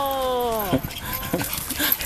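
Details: Momo, a Pomeranian, sprinting at full speed like an F1 racer; a sustained, tonal whine holding steady then sliding downward for about three-quarters of a second, then short scuffing and breathy sounds.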